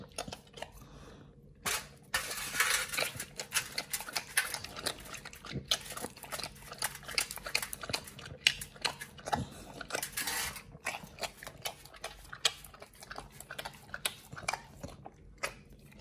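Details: Pit Bull named Nomyen eating a raw food meal of New Zealand green-lipped mussels with beef and chicken, indoors; wet, crunchy chewing and smacking in dense bursts, with loud crackling broadband crunches between about two and ten seconds.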